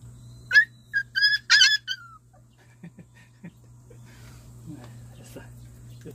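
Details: One-month-old Jindo–fighting dog mix puppies, littermates of Simba, getting their combination vaccine indoors; a short burst of high, harmonic puppy yelps and squeals over about one and a half seconds, then faint scattered noises and a steady low hum.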